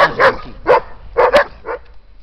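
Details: A German Shepherd in its garden in Siena, Italy, in November 2011, protecting its territory, gives a run of short, harsh barks, roughly two per second, as two Belgian Shepherds eat its food; it backs off. A person's voice is faint.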